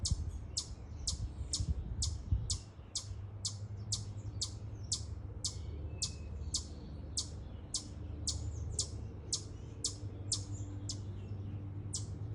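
A chipmunk gives sharp, high chips, repeated steadily about twice a second over a low hum.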